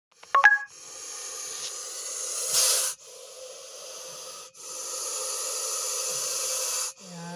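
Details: Russell's viper in an agitated state after being attacked by a dachshund, hissing loudly: long, harsh, breathy hisses lasting one to two seconds each, split by brief pauses, with a few sharp clicks at the start.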